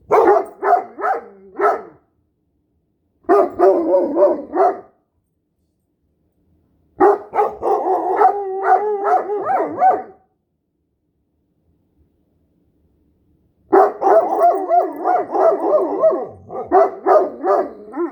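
Two dogs, a Great Dane and a Standard Poodle, howl together in wavering, yipping bursts.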